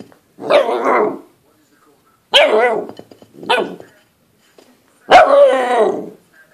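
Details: A nine-week-old Golden Retriever pup barks at a plate during play, three sharp rich barks followed by a longer one, separated by short gaps of quiet.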